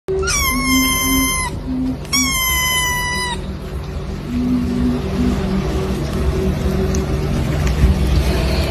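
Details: Domestic cat gives two loud, drawn-out meows, each about a second long, falling slightly in pitch with a rich harmonic tone, a short pause between them, then steady background music and a hum.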